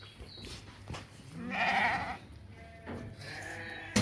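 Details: Ewes and rams at a livestock market: one clear, wavering bleat of about half a second, followed by a shorter, fainter one, with low background rumble between.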